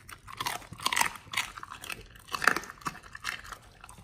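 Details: Pit Bulls on a raw diet chewing raw beef shank, with liver, green tripe and duck wings, recorded indoors up close: wet, crunchy bites and tearing in quick uneven bursts, a few louder crunches near the middle.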